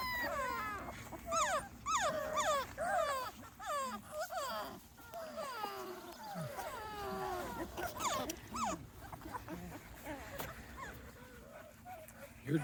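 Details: A Small Munsterlander litter of 2.5-week-old puppies, outdoors for the first time, whimpers in thin, high rising and falling squeaks over steady background hiss; calls fade and thin out toward the end.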